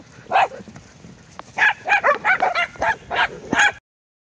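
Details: Abruzzese Mastiff dog up for adoption, recorded 12/8/2021: one sharp bark, a pause, then a rapid run of about seven loud, clipped barks roughly three per second, ending abruptly.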